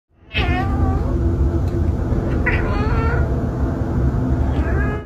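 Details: Domestic cat meowing in the morning to wake its owner. Several drawn-out, sliding meows come at about half a second, two and a half, three and four and a half seconds over a constant loud low rumble.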